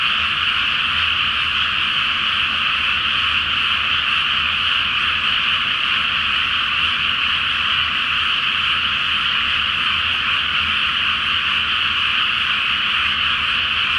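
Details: Dense night chorus of many frogs in a flooded rice paddy before planting, under a full moon; continuous overlapping croaking forms a steady bright wall of sound with no pauses.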